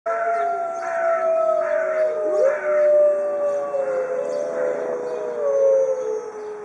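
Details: A zoo pack of white Arctic wolves howls together for over two minutes in long, overlapping, sliding tones that rise and fall.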